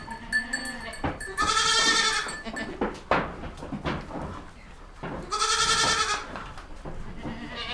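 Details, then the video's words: Baby goats with two loud, quavering bleats about four seconds apart over a busy farmyard background of shuffling, knocks and fainter animal noises. "Baby goat sounds | Goat bah sound"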